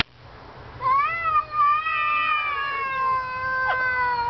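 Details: Male cat outdoors calling to a neighbour's cat: one long drawn-out meow that rises quickly, then holds and slowly falls for about three seconds, with steady background hum.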